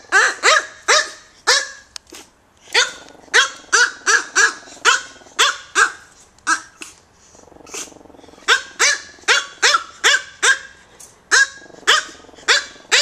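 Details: Two super tiny micro teacup poodles of American kennel lines, kept in Hong Kong, yapping almost nonstop: shrill, clipped barks in quick bursts with a short lull near the middle.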